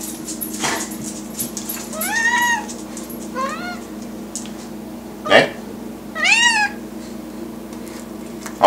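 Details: Hairless cat begging for food with three arched, nasal meows spaced a few seconds apart, mixed with clicks and bumps and a person's voice mentioning a plate.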